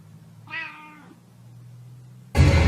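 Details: Domestic cat giving a single clear meow, about half a second long, bright and slightly falling in pitch, over a steady low hum; loud music suddenly cuts in at the end.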